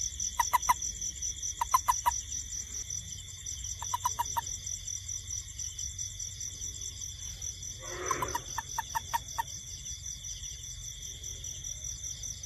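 A toad gives short bursts of sharp, clicking pulses in groups of three or four over steady night insects.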